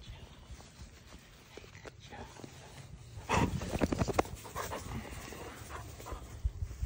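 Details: Golden Retriever panting during morning ball play, quick breathy bursts growing louder and denser in the second half, with some voices and handling noise in the background.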